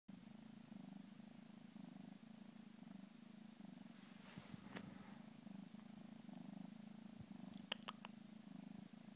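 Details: Egyptian Mau kitten, 13 weeks old, on its first day in a new home, purring indoors: a steady low rumbling drone held throughout, with a few faint clicks and taps near the middle and end.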